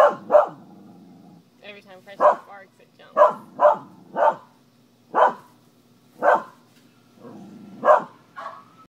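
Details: Pet dog giving repeated short barks, roughly one every second, as a spider hops each time it barks; a person's voice and quieter squeaky sounds mix in between barks.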